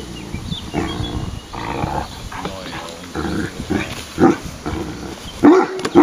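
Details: Irish Wolfhound male giving a bell-like voiced grumble when he dislikes something, short harmonic moaning bursts repeated between pauses, a woman talking in Czech over and around them.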